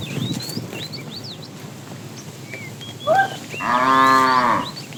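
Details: Cows herded in the morning, a herd of calves and cattle wandering to look for food; scattered bird chirps and whistles, then a loud moo of about a second near the end.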